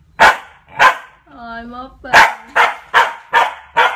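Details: Corgi puppy barking while protecting a woman: two sharp barks, a brief drawn-out whining tone, then five quick barks in a tight series; faint voices in the background.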